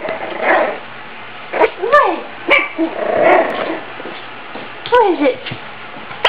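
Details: Two small dogs, a Yorkshire terrier and a Maltese, in a speed-eating contest; a few short, high yips that bend downward come at about two and five seconds, between a person's exclaimed remarks and chewing noises.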